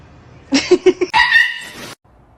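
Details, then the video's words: A kitten meowing indoors: a few short choppy chirps, then a drawn-out, fairly steady mid-pitched meow lasting under a second before it cuts off abruptly. "Kitten meowing"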